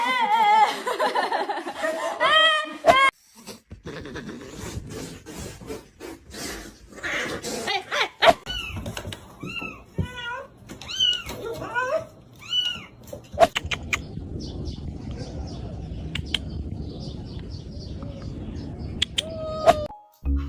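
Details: Mother cats protecting and caring for their kittens indoors; a series of short, arching meows repeated around the middle, over laughter, speech and rustling handling noise.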